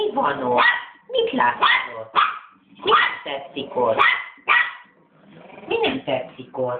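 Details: Angry three-month-old West Highland White Terrier puppy barking continuously, a dense run of shrill yaps and growly whines with hardly a gap, a human voice possibly mixed in.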